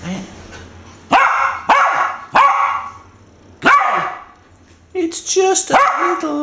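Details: Four-month-old female Irish Terrier puppy, frightened by a pink snorting rubber toy pig, gives sharp barks and yelps in separate bursts. A high squeaky sound near the end, with a woman speaking softly before.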